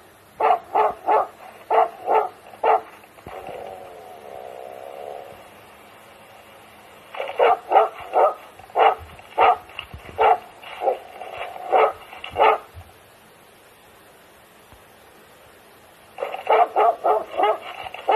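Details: Finnish Hound hunting in Gävleborg, Sweden, on a Friday, pursuing a wolf instead of a fox; rapid repeated barks in three long bursts separated by quieter stretches, roughly one and a half barks per second.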